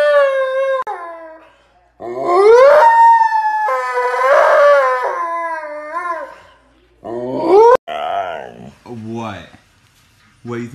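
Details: Siberian Husky howling and whimpering in a home compilation clip: repeated drawn-out howls that swoop upward and hold, broken by short gaps and quick yelping slides, mixed with human speech.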